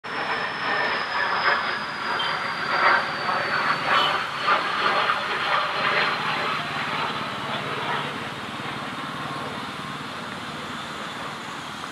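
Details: Rattling, rumbling train-like machinery noise with a thin, steady high whine that slowly falls; no animal calls stand out.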